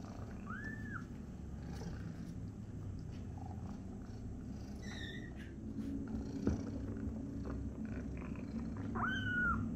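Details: A kitten accidentally sat on by its mother cat gives two short, arched, whining cries, one near the start and one near the end, over a steady low purring rumble and faint household noise.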